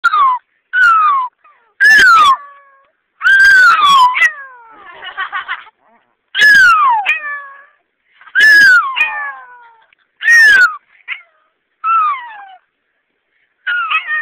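A dog gives a series of high, falling, cat-like meows at irregular intervals.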